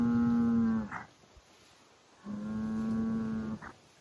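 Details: Highland cattle bull on a farm in Finland, kicking dirt and making noise; two long, steady, low moos, the first about a second, the second about a second and a half, each ending in a brief upward break.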